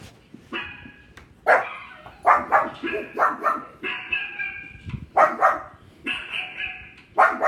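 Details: Pet pug barking at other dogs barking on television: a run of sharp, loud barks in quick bursts, mixed with longer whining, tonal dog sounds coming from the television.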